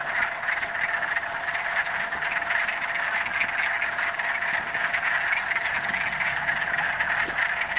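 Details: Mating chorus of frogs in the marsh at Mills Block Forest in Thunder Bay, a thick, unbroken buzz of many overlapping rapid trills, steady in loudness throughout.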